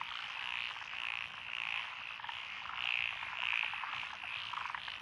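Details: Night chorus of several frog species in lotus paddies of Echizen, Fukui, Japan, 12 June 2021; bright repeated chirping croaks about every half second ride over a thick continuous trill.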